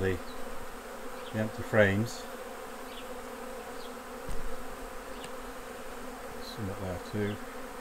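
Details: Hive hum of honey bees as honey is taken off the hives, a continuous low drone broken by short bursts of human speech near the start and again toward the end.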